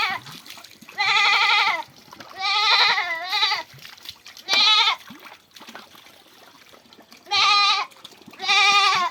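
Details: A goat bleats five times, loud, vibrating and harsh, some cries breaking in pitch, while being washed to get rid of lice. Water sloshes and people speak quietly between the calls.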